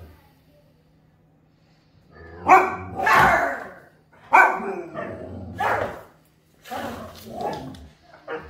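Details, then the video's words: Huskies startled by their owner give loud, drawn-out howling vocal bursts in several waves, each lasting about a second, with harmonic, wavering tones and short gaps of silence between them. "DO NOT SCARE the HUSKIES"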